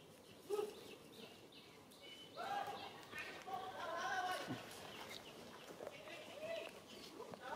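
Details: Mother monkey Alika warning an adult monkey that tries to kidnap her baby: loud, arching tonal cries with clear harmonics, rising then falling, in several bursts over a few seconds, with rustling and scattered clicks around them.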